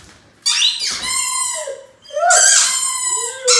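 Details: Mikey, a nine-month-old Great Dane puppy, howls at his own reflection in a mirror while playing with his ball indoors: two high, wavering, strained cries with a rising and falling pitch, separated by a short pause.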